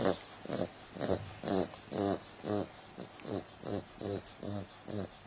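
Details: Sleeping 8-week-old female Bulldog puppy snores with short nasal rasping breaths roughly twice a second, slightly uneven in strength, in a quiet room.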